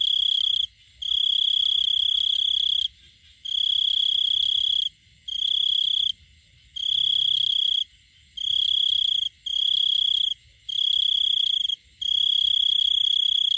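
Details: To attract a female, a male cricket gives long, loud, high-pitched trills lasting one to two seconds each, separated by brief breaks of under half a second.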